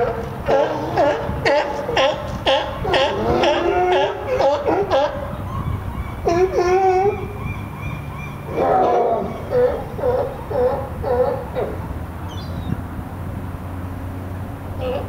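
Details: California sea lions (Zalophus californianus) of the Willamette Falls colony bark in rapid, hoarse bursts, several animals calling over one another.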